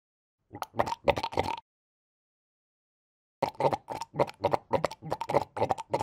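Rough, honking barks from a sea lion come in two bursts separated by a short silence. The barks are coarse and fast, about three per second, with a hoarse, almost grunting quality.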